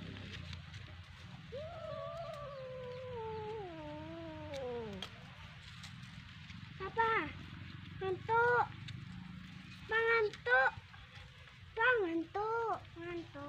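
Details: Pet cat playing with a fish toy: one long wavering meow that slides downward over about three seconds, then a series of shorter, clipped meows repeated every second or two, with low background hum.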